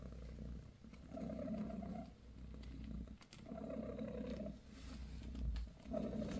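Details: A purring British shorthair mother named Bassy tends her newborn kittens indoors. Deep throbbing purr rises and falls in roughly one-second waves with brief pauses between breaths, above a constant low background drone.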